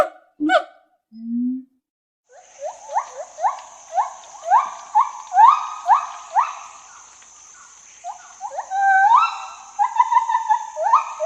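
A gibbon gives a series of loud, rising whooping notes, each swooping upward and repeated about once a second.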